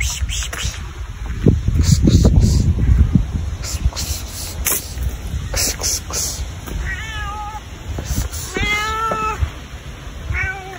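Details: Domestic cat, described as very kind, meowing at the person recording: three clear harmonic meows near the end, each rising then falling, following louder low rumbling and handling noise in the first seconds.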